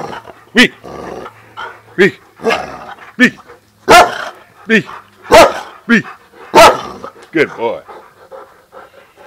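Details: Dog on a walk with other dogs, barking in short sharp bursts repeated roughly every second, some with falling whine-like tails, while a man talks and praises it nearby.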